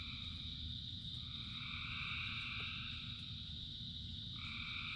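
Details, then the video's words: A massed frog chorus in rain: layered, continuous trilling at several pitches with a middle band that fades and returns near the end, backed by constant low rain noise. "Frogs in Rain 2 Hours of Frogs, Thousands of Frogs Singing"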